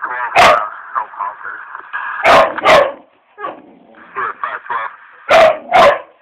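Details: Charlie, a pet dog indoors, barks at a cat on television: loud sharp barks in pairs, separated by higher whining and yelping sounds, with background TV sound.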